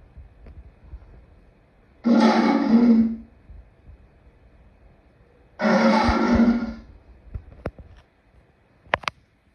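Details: Two loud, harsh lion roars, each about a second long and roughly four seconds apart, broad and rasping with a low throaty core, followed by a few faint clicks and taps.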